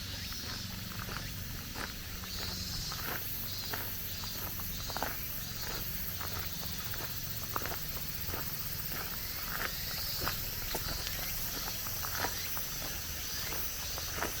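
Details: Cicadas singing at the end of summer along a mountain forest road on a cool day, a steady dense high buzzing drone throughout, with crunching footsteps on gravel and stone paving repeating every second or so.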